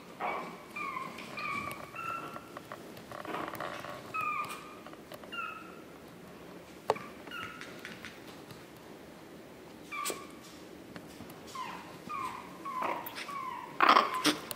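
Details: Several thin, high-pitched whimpers from Chihuahua puppies, 9 April 2016, each a brief falling squeal, spaced unevenly across the recording, with occasional knocks and a sharp louder squeak at the close.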